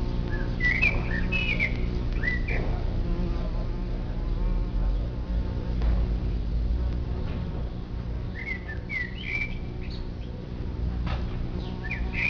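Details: Many bumblebees humming at their underground nest make a thick, low, rumbling buzz that rises and falls as they fly about. Quick twittering bird calls cut in at the start and twice later.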